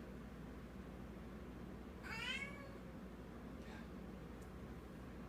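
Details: Domestic female cat with a new toy held in her mouth, which she seems to think is real, making strange noises: one short wavering, falling meow-like cry near the middle, a faint brief sound after, over a quiet steady background hum.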